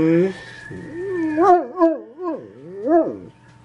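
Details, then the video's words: Dog in a funny compilation giving a wavering, howl-like vocal of rising and falling tones in four swooping pulses over about two seconds, after a short lower opening note. "Most Funny Dog Barking Videos Compilation"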